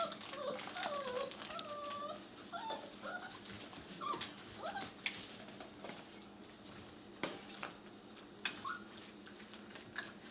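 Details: Six-week-old puppies indoors: thin, high whimpers and small yips bend up and down in quick curving notes for the first few seconds, then fade into scattered taps and handling noise.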